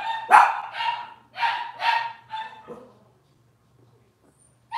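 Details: Cavalier King Charles Spaniel puppies in an indoor litter give four or five loud shrill yips and whines over three seconds, then fall quiet before one more cry.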